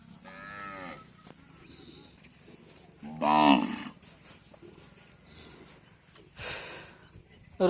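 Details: Deshi cattle at a Padma char market near the India–Bangladesh border: two lowing moos a few seconds apart, the second louder and rising, amid people talking and background market noise.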